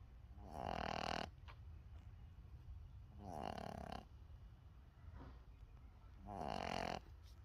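A Boston Terrier puppy snores steadily, with rough, buzzy inhalations about every three seconds. Each breath rattles loudly, then fades into quiet pauses.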